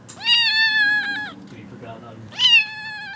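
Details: A kitten crying for attention repeats a long, drawn-out meow that is steady in pitch and ends with a slight drop. A person talks softly in the pause before she lets out a second, shorter meow.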